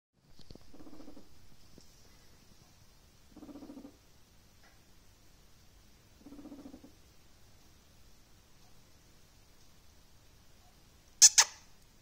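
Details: A guinea pig frightened by a violent gust of wind gives three short, low, buzzy rumbles a few seconds apart.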